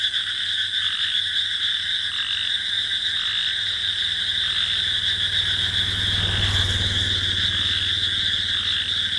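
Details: Frogs and crickets calling at night in a paddy field: constant high trilling with rhythmic pulsing, a low rumbling hum underneath and a brief broadband rustle partway through.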